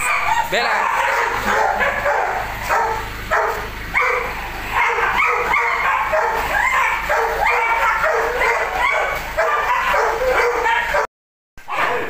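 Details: A Belgian Malinois barks in a dense run of repeated sharp bursts that overlap with steady human talking and commands. A brief cut of silence falls near the end.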